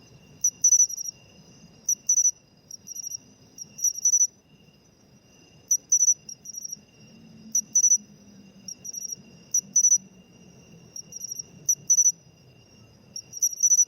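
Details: Pine cricket (matsumushi) filmed while singing, an autumn sound, an insect becoming scarcer in urban areas; ringing high chirps grouped in twos and threes, repeating steadily about every one to two seconds over a quiet low murmur.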